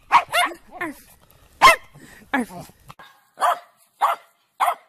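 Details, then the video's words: Happy dogs barking for fun: a handful of sharp, bright barks and yips in quick uneven bursts, with short gaps of near silence between them. "Dogs barking out loud for fun happy dogs"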